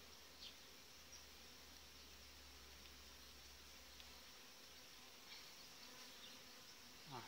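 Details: Honey bee colony, strong and well developed for July, with a good breeding queen, humming steadily inside the hive; a low mechanical hum runs under the first half, and scattered soft clicks and knocks occur.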